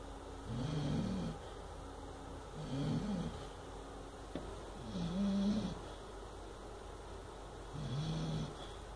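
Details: Sleeping Chow Chow puppy, eight months old, snores through a bad dream. Four gravelly, low-pitched snores arrive roughly every two seconds, each with a slight wavering rise and fall, and a soft click midway.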